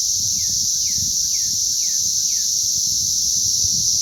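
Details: Cicada hatch chorus recorded May 20th 2034: a continuous piercing electric whine at constant loudness, overlaid by five evenly spaced falling slurred notes in the first two and a half seconds, plus soft low background noise.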